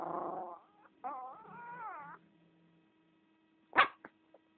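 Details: Chihuahua named Valentina howls in two wavering, tonal bursts, the second rising and falling over about a second, followed by a single sharp bark and two faint yips; constant low electrical hum.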